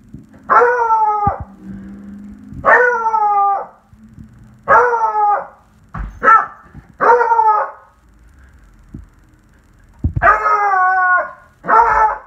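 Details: Beagle, one year old, howling: a series of drawn-out, wavering tonal howls, each just under a second long, repeated every one to two seconds with short pauses between.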